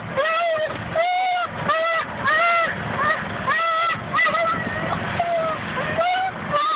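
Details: Border Collie crying while riding on a golf cart: a run of high, tonal whines, each arching up and then sliding down, repeated roughly every half to one second over a steady low motor rumble.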